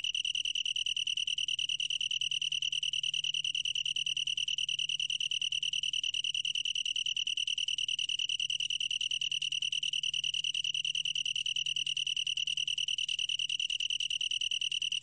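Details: Long-tailed tree cricket in a 2020 recording from the National Institute of Biological Resources, Korea: a steady, unbroken high trill on one clear pitch with fainter overtones above, holding evenly throughout with no other sounds.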